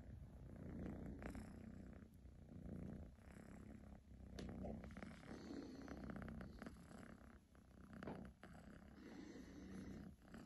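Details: A pet kitten purrs steadily and loudly, a deep continuous rumble that swells and eases with each breath, broken by a few faint clicks and rustles of movement close by.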